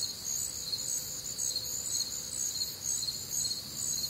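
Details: Crickets recorded on a warm, humid Midwestern summer night, a steady chorus of high, pulsing chirps repeated about twice per second, layered bands of insect song with other faint nocturnal sounds beneath.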